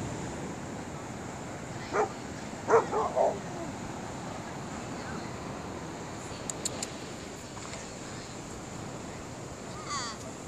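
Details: On a Kauai beach, Maverick the golden retriever gives a quick run of three soft, short barks close together over a sea cucumber he found, with the constant hiss of waves behind.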